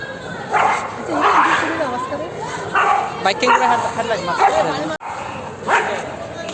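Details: Dogs barking during a dog fight: harsh, broadband barks in uneven bursts, some doubled, with wavering whine-like or voice-like tones between them and a brief dropout near the middle.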